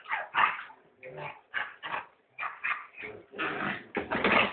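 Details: Nine or so short, high puppy yelps in under five seconds, evenly spaced at first, then running together into a longer whining cry at the end.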